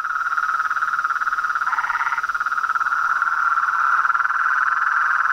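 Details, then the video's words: Frogs, toads and tree frogs calling together after dark at a pond in front of a house: continuous dense trilling chorus with a brief higher rasping call near two seconds. "A SINFONIA DOS SAPOS, RÃS E PERERECAS"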